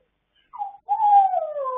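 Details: Pet dogs singing late at night, recorded 26 October 2022 indoors: a short high whine followed by a steady tonal howl that slides gently downward for about a second, with no other sounds.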